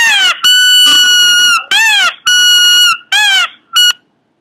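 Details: Cute Pomeranian giving a run of loud, shrill squealing cries. Each arcs up then falls, or holds a steady high pitch. Bursts last up to a second with short gaps, ending in two brief yelps, indoors.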